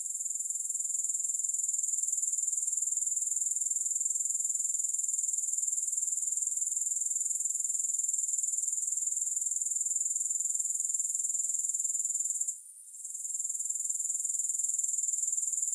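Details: Grasshoppers in a continuous high, hissing trill with a steady pulsing rhythm and no music; the chorus dips into near silence for about a second partway through, then resumes.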